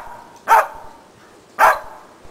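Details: Two short, loud, sharp barks about a second apart from Preston, a Shetland Sheepdog, during agility box training with a jump grid for running contacts; otherwise quiet.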